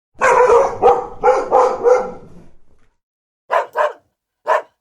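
A dog gives a quick run of harsh barks, then a few short, sharper yips after a pause.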